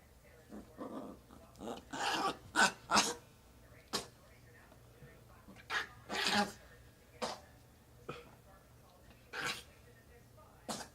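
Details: Pedro, a male Chihuahua getting riled up, gives a rapid string of snorts, yips and grumbling noises in irregular bursts.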